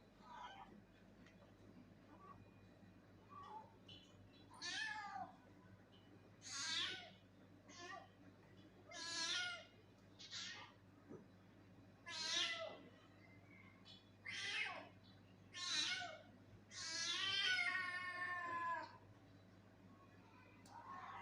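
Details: Angry cat meowing, a series of about ten drawn-out, strained meows spread irregularly over twenty seconds, growing louder toward the end with a long wavering final cry; faint steady hum underneath.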